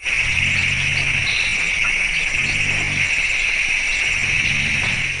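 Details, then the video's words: Elephant rumbling calls at a forest clearing at night, the recording played back three times faster, come as three low droning calls beneath a steady insect chorus. "you can hear the elephants rumbling calls but to figure out what the calls mean the Cornell team spends more time looking than listening"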